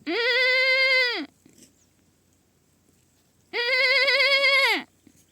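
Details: A baby goat gives two long, loud, wavering bleats about two and a half seconds apart. Each bleat holds a steady pitch, then drops at its end, over a quiet background.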